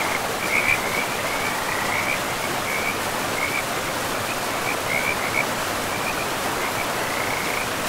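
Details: Forest river frogs calling in quick high chirps, bunched into brief clusters about once a second, with a longer drawn-out trill near the end, all over a steady roar of running water.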